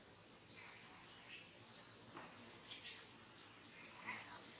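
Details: Monkey crying as it is disciplined by another monkey at Angkor Wat Park, repeated high arched wails, each a quick rising and falling sweep roughly every second, quiet and distant over soft outdoor noise.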